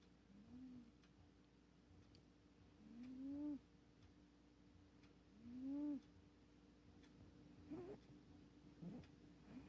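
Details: Bob, a 24-year-old tabby cat, snoring while asleep: soft tonal, slightly rising-then-falling hums with faint overtones, recurring about every two to three seconds, growing louder toward the middle, with quiet background hiss.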